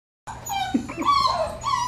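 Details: Six-week-old Labrador Retriever puppies from Kayce's litter of nine, in a busy household, give high, wavering whines and a short yelp, several voices overlapping in rising and falling tones.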